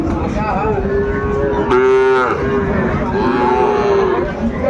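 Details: Sahiwal bull calves at a cattle market in Cumilla, Bangladesh, on 10 February 2025: a long steady low moo, then a louder, higher, strongly harmonic bellow near the middle and another drawn-out moo, over murmuring market voices.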